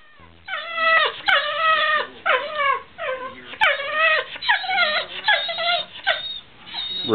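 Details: Whippet dog begging for veggie dip, urged to sing: a run of tonal whining yelps, each bending down then up, repeated in quick bursts about every half second, with a person's voice coaxing.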